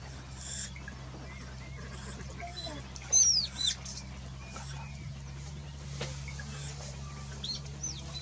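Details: Otters, startled by a crocodile as they entered the water, give alarm calls while chasing it away: a few sharp, high squeaks sweeping downward, one loud pair near the middle, over a low steady hum.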